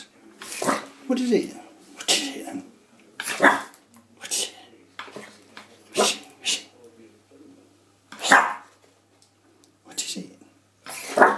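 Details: Indoors, a Shih Tzu puppy attacks a door stop, letting out repeated high, strained yaps and growling barks roughly every second, mixed with a person's voice speaking nearby.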